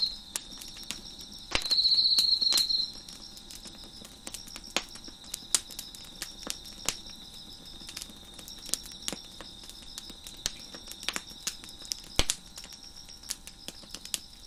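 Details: Crickets on a deck beside a crackling fire keep up a continuous shrill, high trill, swelling louder for about a second near the two-second mark, while frequent sharp crackles and pops from the fire punctuate it.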